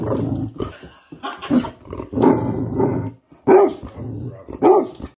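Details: A Basset Hound makes drawn-out, moaning vocal sounds while begging for a hot dog sausage.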